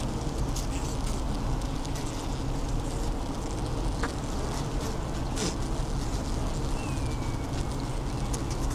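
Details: Western honey bees inside a hive at an apiary make social calls against the frames: a dense, low hum with a faint thin tone gliding downward near the end; a warm, humid day of about 20°.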